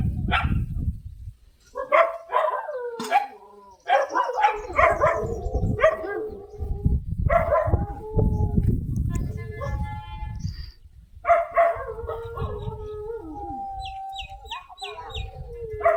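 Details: Komban, a stray dog who has come back to the house, is offered food. He gives gliding, nasal whines that rise and fall, with yelps and barks in between. Low rumbling noise and voices sit underneath, and faint thin tones come near the end.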